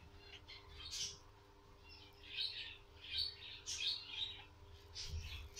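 Newborn guinea pig giving thin, high-pitched squeaks in short, irregular bursts.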